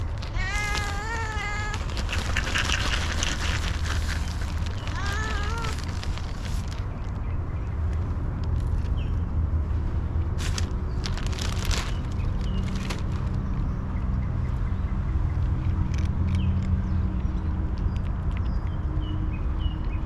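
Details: A hungry female cat, happy for attention and food, gives a wavering, drawn-out meow in the first seconds and a shorter one near five seconds, over a steady low rumble with scattered clicks and faint chirps.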